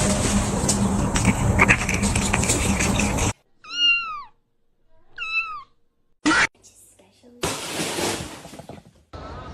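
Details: Cat from a funny compilation of cats fighting: two short, bent meows about a second apart between abrupt cuts, with loud broadband noise and a brief human voice around them.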